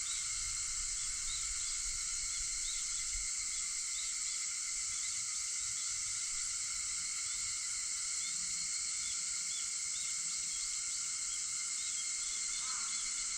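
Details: Cicadas buzzing in a steady, high-pitched chorus at dawn, 4:50 on August 4. Near the end a single short call rises and falls beneath the drone.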